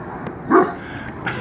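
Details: Dog giving an alarm bark at Mills River on 3 September 2017 around 8 a.m., watching people on the trail above the stream: a single short, sharp bark mid-clip over a soft background hiss.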